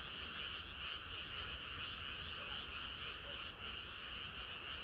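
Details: Frogs in chorus on a hot summer night, a continuous, even wall of overlapping high trilling voices with little rise and fall, steady to the end.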